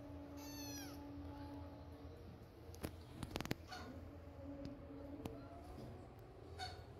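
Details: Kittens pestering their mother cat for milk while she is weaning them; one high, thin meow with stacked harmonics, sliding downward near the start, then low household hum and scattered sharp knocks and clicks.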